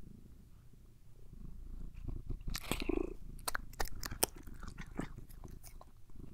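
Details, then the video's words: Pet cat purring as it is groomed and given treats indoors, a continuous deep rumble under sharp crunchy chewing clicks that grow busier after the first two seconds. "ASMR with my CAT! Purring, Eating, and Grooming"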